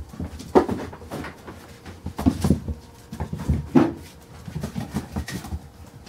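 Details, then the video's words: Carolina Dog puppies, five weeks and four days old, playing indoors in a small room: short low growling and whimpering bursts among busy scuffling, clicking claws and knocks. "Carolina Dog puppies playing"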